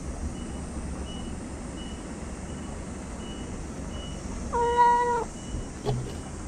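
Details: Single flat, sustained meow from a talkative stray cat, lasting under a second, over a rhythmic reversing beeper and a constant low hum outdoors, followed by a brief thump.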